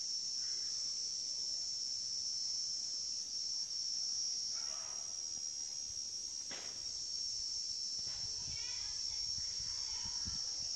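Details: Cicada calling in a continuous, shrill, high-pitched whine that holds steady through the whole stretch, with only faint, brief rustles and thumps beneath it.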